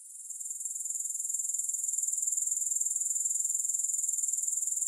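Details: Grasshoppers heard with no music, their very high, sizzling trill fading in from quieter at the start and then pulsing evenly, a little over twice per second, for the rest.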